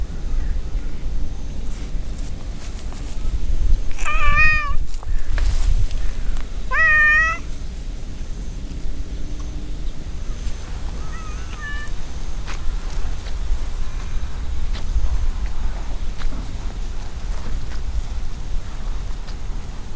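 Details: Park stray cats near a large pond call out with two strong, arching meows a few seconds apart, then a softer short mew; low outdoor rumble and scattered clicks fill the rest.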